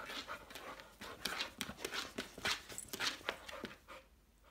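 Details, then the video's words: Saint Bernard, awake, making swimming movements: fast, breathy panting pulses of nearly two per second, fading toward the end, with light knocking sounds indoors. "Saint Bernard swimming outta water"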